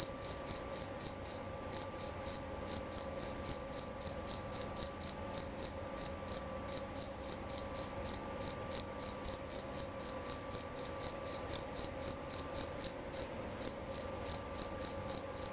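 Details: Loud, clear calling of a male jerabang cricket: a long run of sharp, high chirps, roughly three or four per second, broken by a few short pauses, against a quiet background.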